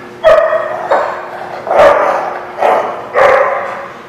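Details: Dogs bark at The Barking Lot, 11 September 2017, five loud ringing barks spaced irregularly across four seconds, each with a strong tonal core and echoing tail.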